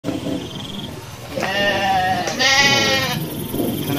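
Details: Garut sheep give two long, quavering bleats, the second higher and harsher, among dozens of sheep running in a rice-field area after a male Garut ram ran amok.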